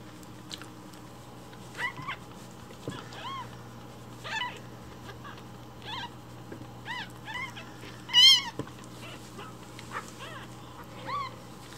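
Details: Rescued baby kittens loudly demanding their breakfast milk in the morning while it is prepared indoors: high, arched mews rise and fall, sounding every second or so, with one louder, longer cry near the end and a faint hum beneath.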